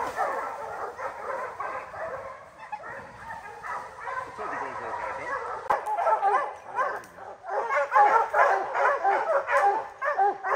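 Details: Dogs in training on the opening day of black bear season in July 2024 keep up continuous, overlapping barking and baying, with the barks swelling louder toward the end.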